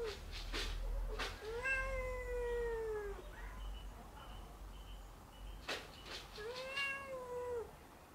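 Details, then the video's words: At night, house cats are restless and vocal. Two long, drawn-out meows about four seconds apart each hold a steady arched tone for over a second. Sharp knocks and clicks come before each meow. "Los Gatos están ACTIVOS por la noche"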